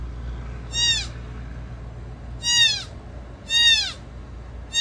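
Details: Brand-new mule deer fawn left by its mother at a wood mill cries in short, falling, strongly harmonic bleats. Three full calls come roughly a second and a half apart, a fourth starts at the end, and a low mechanical drone runs beneath.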